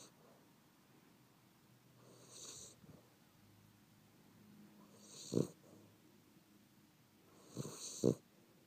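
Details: Chacha, a sleeping pet dog, snoring softly: rough, breathy low snores, the louder ones near the end about three seconds apart, rising and falling with each breath over a quiet indoor background.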